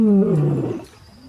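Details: Lion giving a short, deep descending groan-like roar that falls from low pitch and fades within a second.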